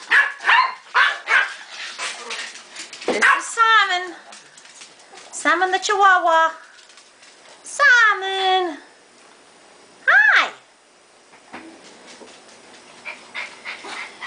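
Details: Pet dogs indoors in a home with several dogs, some in crates, greeted one by one; drawn-out arching yowls with rising-then-falling pitch come in bursts every couple of seconds, with a woman talking and greeting them throughout.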